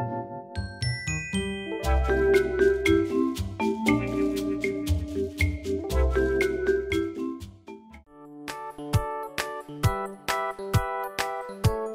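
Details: Cheerful glockenspiel and marimba tune over a bouncy bass line, with a brief pause near eight seconds before sparse mallet notes resume, no animal voice present.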